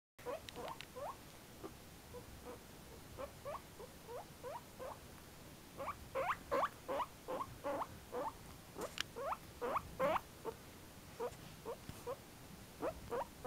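A guinea pig gives a steady run of short, sharp squeaks, close and clear.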